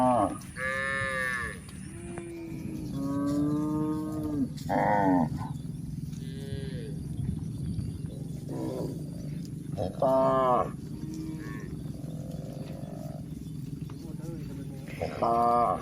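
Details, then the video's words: Cows on the move up a hill, lowing several times with long, rising-then-falling moos over a steady low rumble of background noise. "Charming Cows on the Move: Hill Journey with Funny Sounds and Gentle Footsteps"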